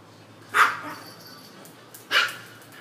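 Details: Lucy, a Poodle, during her morning exercise, gives two sharp, bright barks about one and a half seconds apart, each short with a quick fade, over a quiet low hum.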